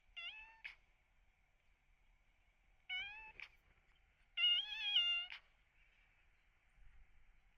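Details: Sick rescued kitten with cat flu calling three times: two brief high mews, then a longer wavering, pained cry, separated by pauses of a couple of seconds, against a quiet room with a faint continuous whine.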